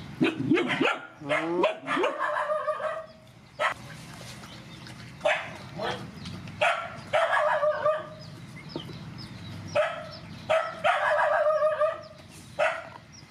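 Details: Rescue dogs, mothers with puppies, being fed: a rapid, overlapping run of barks and yelps from several dogs, bursts coming in clusters with brief pauses, some notes sliding upward.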